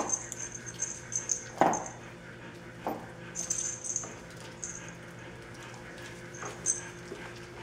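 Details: High, thin squeals and whimpers from 27-day-old puppies before bath time come in irregular clusters, with a few sharper yelps. A low electrical hum runs underneath throughout.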